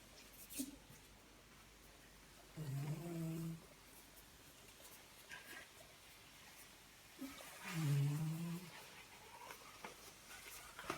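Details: Sleeping dog at bedtime indoors: two deep, droning snores about five seconds apart, each lasting roughly a second, between stretches of quiet room noise.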